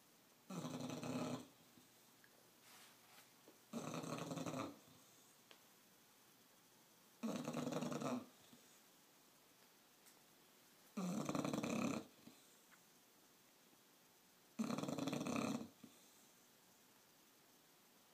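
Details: Bulldog snoring, loud rasping snores in regular bursts about every three and a half seconds, each lasting roughly a second, with quiet breathing between them.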